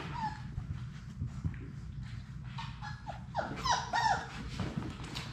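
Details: Sadie's litter of six Labrador Retriever puppies at play indoors in their puppy play room; brief high whimpering squeaks near the start, then a cluster of thin wavering whines, over constant scuffling, clicking paws and low room rumble.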